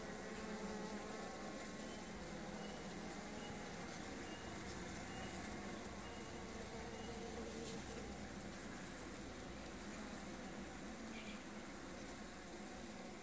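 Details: Melipona beecheii, the blanco estrella of Honduras, producing an unbroken buzzing drone of layered humming tones, with occasional soft chirps from other insects or birds in the background.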